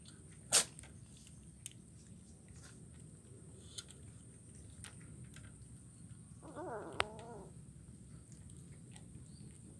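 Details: Kitten eating fish bones in Kuala Kapuas, Central Kalimantan, on Wednesday 17 July 2019. One short, wavering meow arrives late in the clip, after an early sharp click, against a quiet room hum.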